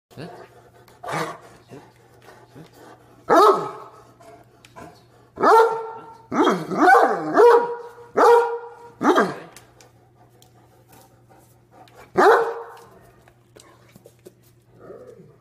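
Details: Deaf Great Dane, a very vocal male, complaining while told to sit and shake hands: drawn-out, moaning groans and yowls with strong harmonics, some in quick clusters, separated by quiet gaps and a steady low hum.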